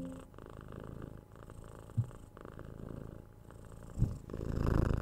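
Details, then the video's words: Tora, a six-month-old kitten, purrs during cuddles and head scratches, captured with a 3DIO binaural mic; continuous deep purr throughout, with soft kiss sounds near the two- and four-second marks and rustling toward the end. "Cat Purring"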